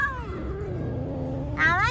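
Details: A stray street cat being petted, giving one long drawn-out meow that falls and then rises, with a brighter harmonic cry in the last moment; low steady background rumble.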